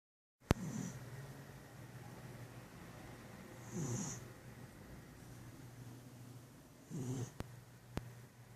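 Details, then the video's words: Domestic cat snoring while asleep after lunch: soft, breathy, low snores with a faint hiss on top, about three seconds apart, over a steady low hum indoors, with a couple of sharp clicks. "snoring cat"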